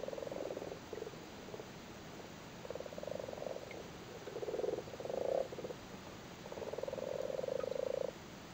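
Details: Several male Irish frogs spawning in a flooded cattle grid in Cork, Ireland, sitting on their spawn: low, purring pulsed croaks in bursts of about a second, some overlapping, with short quiet gaps between.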